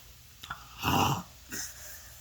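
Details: During belly rubs, a male French Bulldog makes one loud, rough snorting grunt, then a softer breathy puff, his happy noise, with a person greeting him gently.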